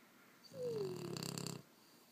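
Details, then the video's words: A sleeping French bulldog, one of a pair aged 18 months and 6 months, gives a whistling note that slides down into a rattling, pulsed snore lasting about a second in a quiet room. "French bulldog snoring"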